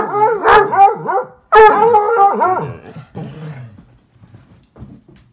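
A hound bays in long, wavering, mournful cries that rise and fall in pitch.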